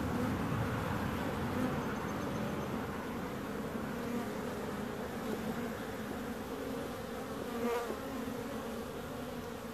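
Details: Many bees producing a low, unbroken droning buzz, steady in pitch and loudness, with faint brief tones flickering above the hum.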